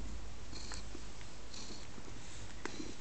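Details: Pet cat Teddy snuggling on a lap, purring as a steady low rumble with a few soft clicks and rustles above it.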